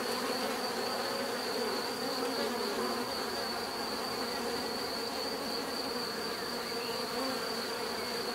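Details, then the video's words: Continuous buzzing of bees, dense and even, a low layered hum that never breaks, with a steady thin high tone sitting over it. "bees therapy relaxing natural buzzing sound"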